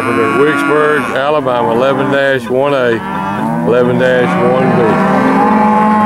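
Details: Steers at a cattle auction in August 2013 bawl in a dense, overlapping chorus: repeated arched, nasal moos of varying pitch, one after another with barely a pause, a brief lull near the middle, no clear speech.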